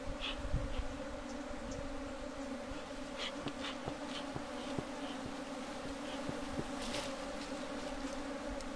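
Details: A bee colony drones steadily at its bee box during beekeeping, a constant two-toned hum. Light knocks and thumps come through, with occasional faint high ticks.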